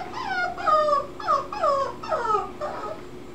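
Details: Six-week-old black tricolor male Cocker Spaniel puppy in Sarasota, Florida, recorded June 14th, 2018: a run of about six high, descending whining whimpers, each sliding down in pitch, roughly every half second.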